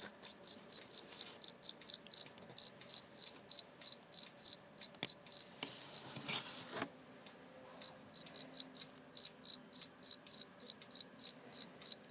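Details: Captured cricket, later set free, chirps indoors in quick, sharp, high-pitched pulses several times a second, interrupted midway by a rustling noise and a short silence, then the rapid chirping carries on.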